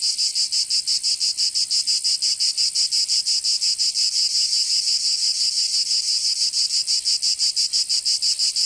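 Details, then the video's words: Cicadas singing in summer in Provence, southern France: a dense, shrill, high buzzing chorus pulsing about three times a second, steady and continuous with no other sounds. "Canto Cigarra 🦗 [ Escuchar les cigarras en verano 10 H]"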